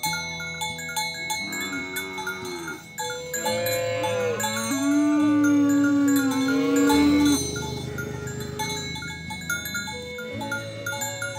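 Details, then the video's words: Oxen being herded along the way to the farm barn; a long, steady, low moo swells over several seconds and then breaks off, set against constant background music with tinkling tones. "Sounds of Herding Oxen on the Way to the Farm Barn – Funny Mooing Sounds"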